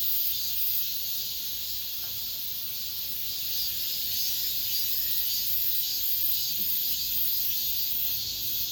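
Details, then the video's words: End-of-summer cicadas in an apartment complex fill the air with an unbroken sizzling drone that rises and falls in gentle swells. "올 여름 마지막 매미소리"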